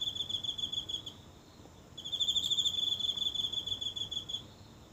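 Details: High, pulsed insect trill from one insect in the grass of a small Japanese garden at night, captured up close on a phone: a short burst, a brief pause, then a longer trill.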